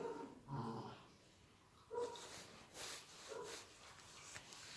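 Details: Playful, healthy Collie puppies from a litter born on 21 January 2018 let out a few brief, tonal whining yips spaced about a second apart, over faint rustling and clicks.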